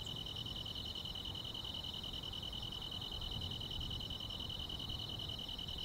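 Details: Grass insects on a summer night: a steady, unbroken high-pitched trill holds at one pitch throughout, with a second slightly higher band above it, over a soft low rumble.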